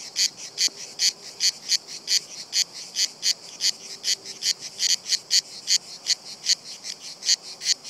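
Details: Several cicadas singing on a tree trunk, undisturbed by a nearby person and climbing down the trunk: sharp, buzzy high-pitched pulses repeated steadily, roughly two to three per second.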